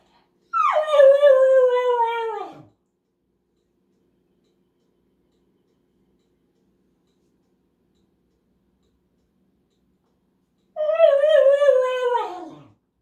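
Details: Male dog howling and whining when left behind on a mailbox trip, fear of missing out: two drawn-out, wavering howl-whines, each about two seconds long and dropping sharply at the end, separated by about eight seconds of silence.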